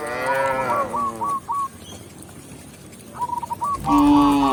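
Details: Tame cow on its way back to the pen with a village shepherd, a short moo at the start and another rising one at the end, separated by quiet with a few small bird chirps.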